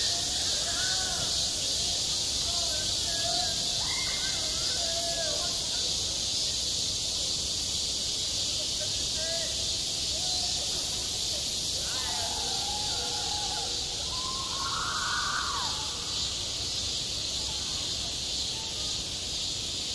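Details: Cicadas calling in the heat of summer at a schoolyard, a sustained high hissing drone throughout, with children's voices and brief mid-pitched sounds rising clearly around the middle and near fifteen seconds.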